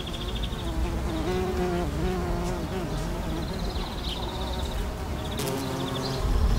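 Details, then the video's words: Carpenter bee hovering with a low, droning buzz that wavers slightly in pitch, while small birds twitter and chirp in the background. "l'Abeille charpentière"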